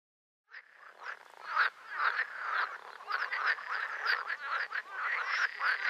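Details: Green frogs (Pelophylax) calling together after a brief silence: dense, overlapping rattling croaks and quacking notes that build in loudness and continue without pause, with several animals calling at once.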